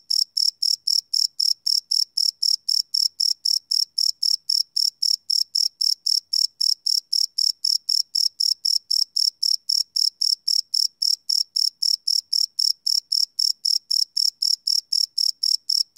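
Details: Live night recording of crickets chirping: a long unbroken series of sharp, high-pitched trilled chirps repeating evenly about four times per second throughout, with a quiet background.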